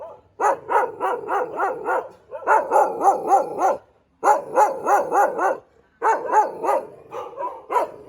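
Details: Thai Ridgeback dog barking in rapid bursts of five or six sharp barks, each burst lasting about a second and a half with brief silences between, the final burst trailing off more loosely.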